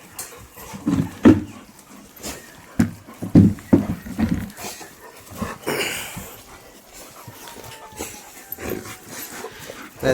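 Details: Rottweiler in a big fight with other dogs: loud, low, irregular huffing and growl-like bursts cluster in the first half, roughly one per second, then fade into softer panting and scuffling, with a faint background hiss.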